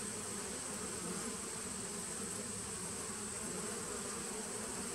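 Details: Steady buzzing drone from a honey bee nucleus colony begun in 2017, recorded 19 September 2018; the low hum holds level throughout over a soft background hiss.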